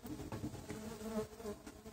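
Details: Continuous droning hum from a Tetragonula biroi stingless bee colony, boxed from a feral hive and opened for its first check a month after the box transfer; the even buzz holds steady throughout with faint background clatter.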